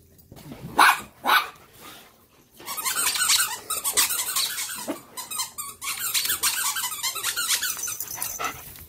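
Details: An abandoned Chihuahua cries after being reunited with its owner, giving continuous high, squeaky whines and whimpers. Two loud sharp sounds come first, in an indoor room.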